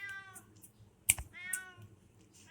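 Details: Loren the cat meows at a warung, a small shop. The short harmonic meows come in quick succession, with a sharp click or snap between them.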